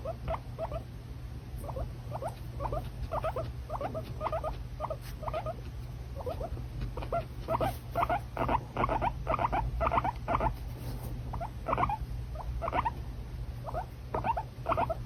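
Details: A pet guinea pig squeaking over and over, short high chirping notes coming in quick irregular runs that grow busier midway, with a constant low background hum.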